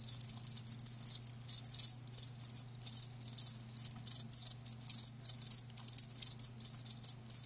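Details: Loud, crisp chirps from live crickets arrive in quick bursts about every half second, a bright high insect trill with clear gaps, over a faint low hum.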